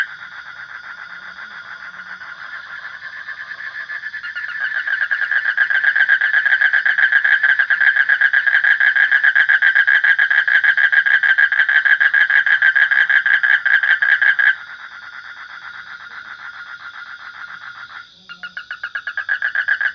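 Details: Frog calling with a long, rapid pulsed trill held at a steady pitch. It swells louder after a few seconds, runs unbroken for about ten seconds, then drops to a softer trill before building again near the end.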